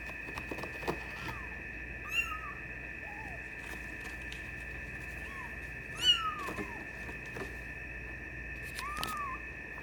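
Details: Maine Coon kitten, a silver tabby and white male 24 days old, giving thin arched mews at irregular intervals, with a steady electrical hum and scattered clicks and knocks in the room.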